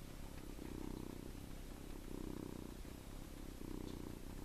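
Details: Sleeping seven-week-old farm kitten held in a hand, its low rumbling snore rising and falling with each breath, about three breathy pulses across a few seconds, with continuous hiss behind.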